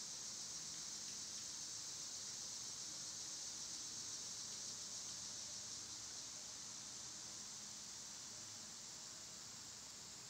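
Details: Cicadas in summer, loud at this time of year, recorded on one of their quieter days: a steady, unbroken high buzzing drone that holds evenly throughout and fades only slightly toward the end, with no other clear sounds.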